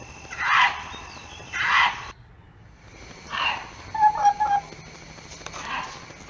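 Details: Fox calling in the mating season, when foxes call out to each other: harsh, hoarse barks in spaced bursts, two close together and then three more after a pause, with faint higher squeaks between them.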